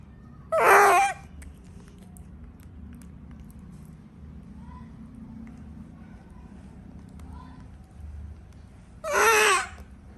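A frightened monkey gives two harsh, screeching 'kriiik' cries several seconds apart.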